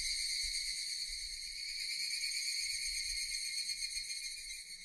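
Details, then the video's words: Brief stretch of intense, high-pitched Japanese cicada drone, steady and buzzing, with faint low thumps beneath. "Japanese cicadas Sound effect"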